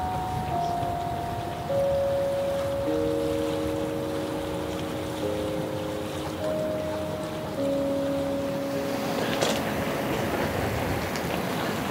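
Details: Sustained musical tones play over a wash of wind-like or surf-like noise, with no animal calls heard.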